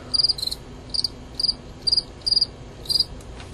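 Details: Two male fall field crickets, Gryllus pennsylvanicus, in a fight: crisp high chirps, each of three or four quick pulses, repeated roughly every half second.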